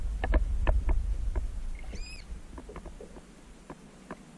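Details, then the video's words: Baby manatee at Crystal River, Florida, in 2018, checking out divers underwater and squeaking: one short, high, rising harmonic squeak midway, among clicking taps and low rumbling water noise. "Baby Manatee checks us out and squeaks"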